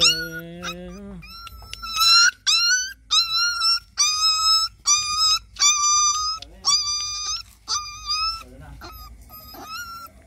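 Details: A puppy cries after being bitten by a bigger dog while eating: about a dozen loud, piercing yelps, each slightly rising then falling, with brief pauses between them. A low tone precedes the cries.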